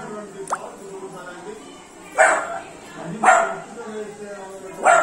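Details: Three-month-old Beagle puppy playing with water, giving three short, sharp barks spaced about a second apart, plus a thin rising squeak early on, over steady background human talk.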